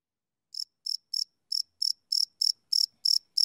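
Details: Cricket chirping at night, recorded live on a field recorder: short, high-pitched chirps starting after half a second of silence, about ten pulses spaced irregularly at first, then steadier, in an otherwise quiet background.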